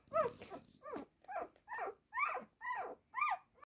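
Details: Four-day-old blue roan show-type Cocker Spaniel puppies give high, squeaky whimpers, rising then falling, several in quick succession.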